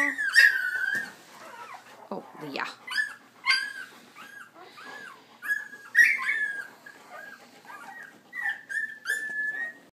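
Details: Puppies, the babies of a dog named Leia, out walking: a busy series of high, thin whimpers and whines, some sliding down and others held level, overlapping in quick succession over ten seconds, with a soft human voice briefly heard.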